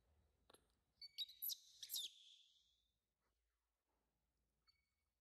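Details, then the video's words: A baby monkey cries loudly for its mother's attention, giving a burst of shrill, piercing squeals rich in overtones for about a second. A faint tap comes just before, and near-silence follows with a tiny chirp at the end. "Baby Monkey C-ry Loud For Mom's Attenti0n"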